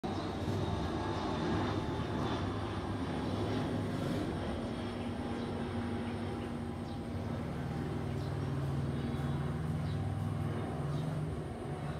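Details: A continuous low mechanical drone fills the recording, much like an aircraft or vehicle engine. No animal calls stand out above the noise.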